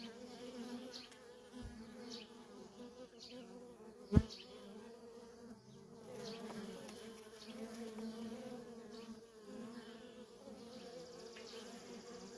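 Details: Steady hum of worker honey bees coming and going at a feral colony, swelling and easing in waves, with a sharp knock around four seconds and a few faint higher ticks over the buzz.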